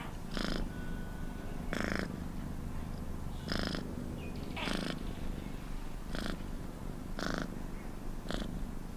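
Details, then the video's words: Rumbling purr from a cat, seven evenly spaced breathy bursts about 1.3 seconds apart riding over a constant low buzz. "Cat Purr Sounds"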